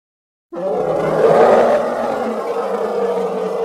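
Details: Elephant giving one long, rough, blaring trumpet-like roar. It starts suddenly after a moment of silence and holds at a steady pitch for about three seconds.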